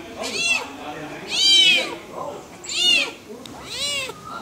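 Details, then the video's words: Leopard cubs giving high, arched mewing cries, four loud calls spaced about a second apart, each rising then falling. "Leopard cubs"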